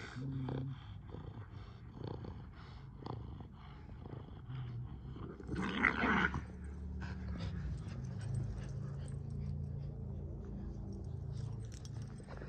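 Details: Boston Terrier and Keeshond tugging on a blue ball together, spinning in circles; steady low growling rumble running throughout, with a brief louder scuffle midway and thuds of movement.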